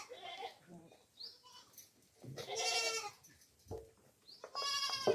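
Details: Farm goats offered coconut pulp call out with strong, tremulous bleats, two long loud cries separated by quieter grunts and rustling, plus brief speech.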